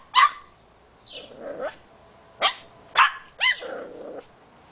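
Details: An 8-week-old female Boxer puppy barks at a squeaky toy, discovering it for the first time, with sharp, high-pitched barks in quick bursts and softer growly whines between.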